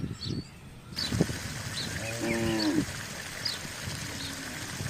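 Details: Village cattle in a herd crossing a housing estate in search of grass and water; one short harmonic moo of about a second mid-clip, with bird chirps and background noise around it.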